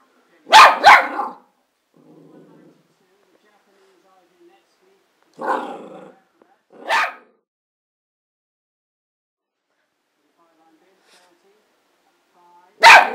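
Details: Excitable Border Terrier giving loud sharp barks in irregular bursts, singles and pairs separated by pauses of a few seconds, with soft low sounds between.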